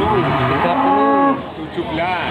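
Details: A single mid-pitched, arching moo from cattle at the Panggul livestock market, Trenggalek, lasting about a second. A man talks steadily in the background.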